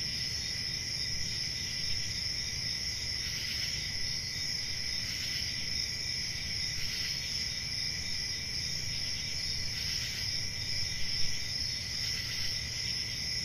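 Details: Night-time crickets in a summer forest keep up a continuous high trilling chorus, with brief brighter surges of chirping every couple of seconds and a low background rumble.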